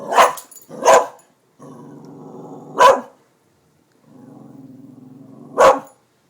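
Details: Excited at construction workers near new buildings, Darby the dog lets out two quick barks, a low steady growl, another bark, more growling, and a final sharp bark.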